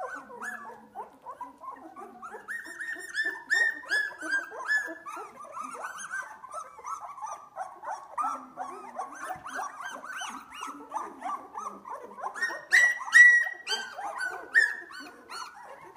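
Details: Two-week-old Australian Labradoodle puppies at playtime, eyes just opening: a steady stream of thin whimpers and squeals from several pups, rising to louder cries near the end.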